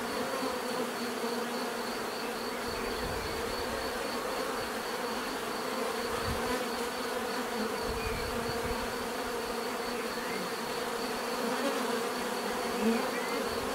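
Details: Natural buzzing of many bees, a steady dense hum with layered bands low and mid, drone holding constant throughout with small swells in loudness; faint high tone runs above, no other animals or voices.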